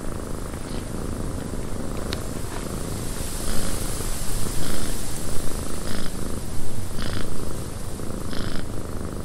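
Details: A cat's contented purr in a windswept cabin, a low, even rumble beating in a slow cycle, joined in the second half by louder swells and short, brighter crackling bursts against a hiss of wind.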